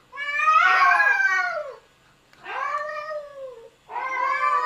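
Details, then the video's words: Domestic cats arguing, three long harmonic yowls separated by short pauses, the first loudest and harsh, the others wavering and falling slightly in pitch, with no other clear sounds. "Funny Cats Arguing"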